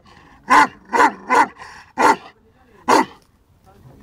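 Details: A male Bully Kutta, 11 months and 19 days old, gives five loud, deep, abrupt barks. Three come in quick succession, then two more after short pauses, with faint background noise.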